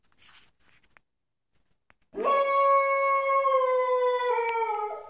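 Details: Unhappy 10-month-old pit bull puppy named Moose gives a long indoor howl after a few soft whimpers and sniffs, the note starting with a rising swoop and then holding steady, slowly drooping for about three seconds.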